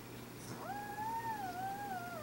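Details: Sabot, an old domestic cat, cries out while dreaming in its sleep indoors: a single drawn-out, tonal, wavering moan lasting about one and a half seconds, gently dipping and rising, over a steady low hum.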